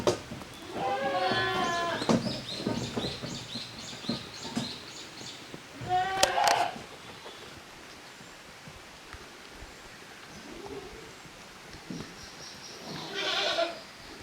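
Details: Kids of the goats Koharu and Okayu playing as two teams in the exercise yard of a handmade goat farm, 13 June 2023. A drawn-out, shaky bleat opens, another sharp bleat follows midway, then quieter bleats and yard noise trail off.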